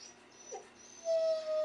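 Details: Siberian Husky throwing a fit because of the rain: after a quiet start, one steady, high, nasal whine rises in and holds level for about half a second, then ends abruptly.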